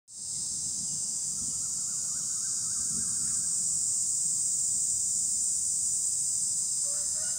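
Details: Cicadas calling on trees: an unbroken, shrill high buzz that switches on at once and holds steady throughout, with faint soft bird-like notes in the background.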